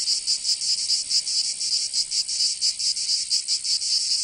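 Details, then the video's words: Cicadas in summer, Provence, southern France, producing a high metallic buzz broken into uneven throbbing pulses, several per second, over a steady shrill background drone. "Canto Cigarra 🦗 [ Escuchar les cigarras en verano 10 H]"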